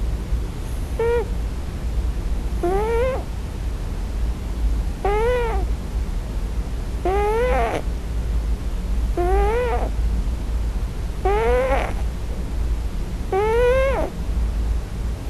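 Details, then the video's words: Scottish Fold tomcat, on his first night, crying in his dream for his real mother. Seven plaintive, wavering meow-like cries repeat about every two seconds above a constant low background rumble. "Scottish Fold 34 [Snoring? Dream Talking?]"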